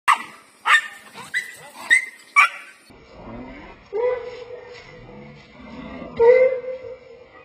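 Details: Dogs in an encounter between a big street dog and a female pet dog named Lucky, who does not welcome his advances: a burst of sharp, high yelping barks, then drawn-out, steady whining tones.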